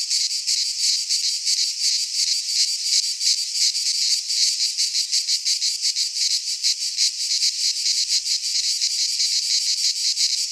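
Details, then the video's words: Midsummer cicada chorus from a Greek pine forest, an unbroken shrill hiss that pulses rapidly, about three beats per second, with a constant loudness and no birds or voices. "Cicadas singing in midsummer - Nature sounds from the Greek fauna - Sounds of cicadas"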